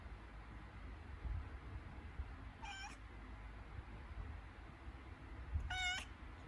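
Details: Cat having contractions before giving birth utters two drawn-out, strained meows about three seconds apart, each rich in harmonics and bending upward, against a quiet low-pitched indoor background.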